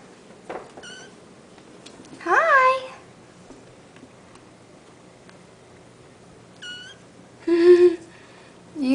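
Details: A litter of hairless Sphynx and Bambino kittens playing indoors on a Friday morning, 9-11-09: a few short high mews and two louder, wavering meows about five seconds apart, with quiet room sound between.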